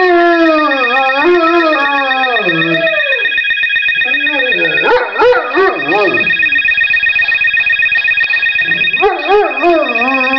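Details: Pet male dog howling along to a telephone tone indoors; falling, wavering howls that break into shorter sliding yowls, with a steady electronic tone throughout and a brief pause midway.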